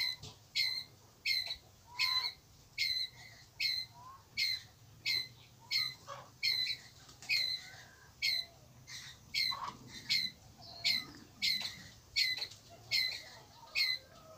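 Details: A Pallas's (red-bellied) squirrel gives harsh, high chucking calls, repeated steadily about once a second to call its group.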